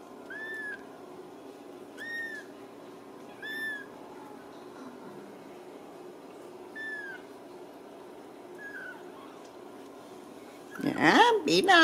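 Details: Ragdoll kittens from a home cattery in central Kansas giving short, high, arched mews at irregular intervals of one to two seconds, ending in a loud burst of handling noise.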